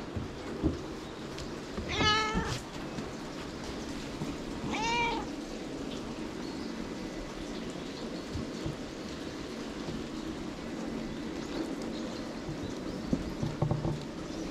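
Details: White cat that climbed onto a lap at a temple during a rain shelter, head being tickled; two clear harmonic meows near two and five seconds, rising then falling, over steady rain-like background hiss and low rumble.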